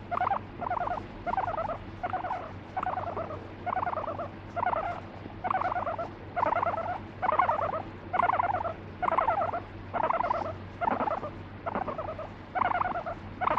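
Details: Guinea pig kept as a pet, getting angry when petting lapses; a long steady series of buzzy stuttering bursts, about fifteen in all, each under half a second and evenly spaced, with a constant low hum beneath.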